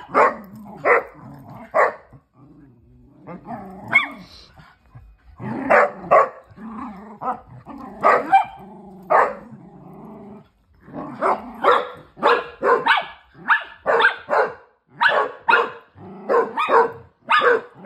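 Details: Young female Basset Hound playing with other dogs at home; a run of short yappy barks and playful growls, irregular and overlapping, with people laughing nearby.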